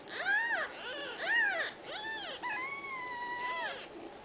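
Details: Young Ragdoll kittens from a central Kansas home cattery mewing in quick arched cries about once a second, ending in a longer, steady, drawn-out wail; several small voices may overlap.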